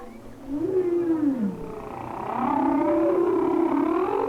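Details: Humpback whale singing in its winter waters off Hawaii, heard through a hydrophone: rising and falling tonal moans, a swooping downward glide, then a long loud wavering cry with rich harmonics.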